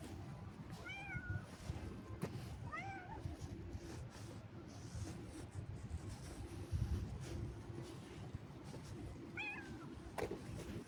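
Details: Cat meowing on a little walk outdoors: three short rising-falling meows, harmonic and mid-pitched, spread across the recording over steady low rumbling background noise with a few clicks.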